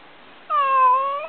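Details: Found kitten, possibly injured or hurt in a fight, lets out a single drawn-out meow that holds steady and then lifts at the end, with near silence before it.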